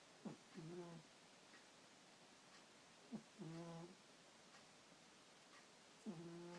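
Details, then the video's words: Shae, a pet cat, snoring while asleep indoors at night: three soft nasal snores about every three seconds, each a brief rising inhale followed by a longer buzzy, harmonic exhale, in a quiet room. "My cat Shae snoring"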